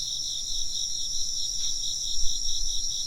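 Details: Steady high insect trilling continues in bright layered bands while soft, low rumbling bumps and brief thuds rise and fall underneath the chorus.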